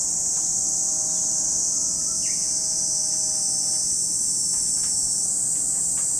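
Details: Cicadas at Lake Kamo in Sado City, Niigata Prefecture, Japan, produce a loud, continuous, high hissing drone without pause, with a few faint lower tones and a brief rising chirp beneath it.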